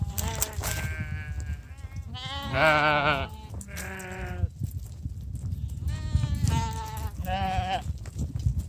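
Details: Domestic sheep called over for their morning feed. Several quavering bleats of varied pitch come in bursts, one strong wavering cry early on, then quieter ones and a final pair, over a low background murmur.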